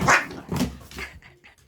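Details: Sharp bark from one of two indoor dogs, a chihuahua and a pit bull, who became friends while the found chihuahua lived in the home for almost two weeks. A single loud burst is followed by fainter, shorter yips.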